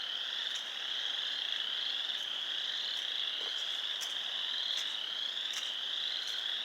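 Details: Pond frogs in Sanborn, New York, on 29 March 2020 form a loud, continuous high trilling chorus, broken by brief sharper peeps from individual callers every second or so.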